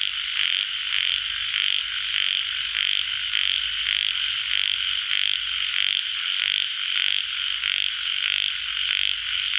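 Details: Tiger frogs (yellow frogs) give rapid, rasping croaks repeated about twice a second in a steady, dense chorus.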